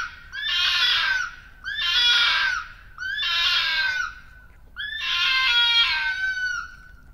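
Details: A rural vixen red fox gives four loud, harsh, drawn-out screams, each about a second long, on 15 February 2016; the screaming appears to be part of mating with her paired male, a sound often heard at night.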